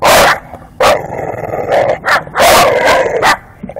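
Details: Bulldog going after garbage can wheels, with loud rolling and scraping of the can dominating and brief harsh barks and yips breaking through between bursts of noise.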